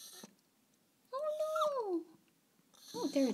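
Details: Miko, a female pet dog, whining at the sight of a squirrel that keeps returning to eat the strawberries: one drawn-out, tonal whine, holding briefly then sliding downward over about a second, followed by a person speaking indoors.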